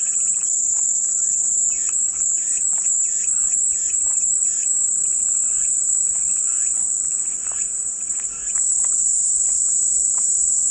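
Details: Steady, piercing cicada drone held without a break, while fainter short chirps repeat rapidly, about four per second, in a lower register behind it.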